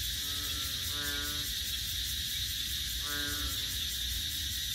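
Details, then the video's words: ['Frogs singing in a rural-like wetland at Bình Quới on the Thanh Đa peninsula, Ho Chi Minh City. Two bursts of low, buzzy, harmonic croaks, each about a second long, beneath a loud, steady high insect chorus.'] "Frogs Singing In Saigon"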